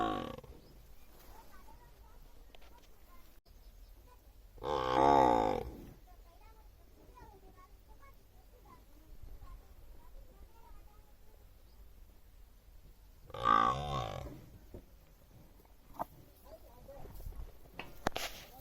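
A buffalo gives two loud, hoarse bellowing calls, each about a second long, several seconds apart.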